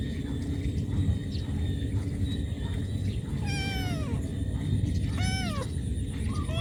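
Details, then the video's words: Cat calling its mother for food: two clear falling meows, the first drawn out around mid-clip and a shorter one soon after, over steady low rumbling background noise. "Cat call mom"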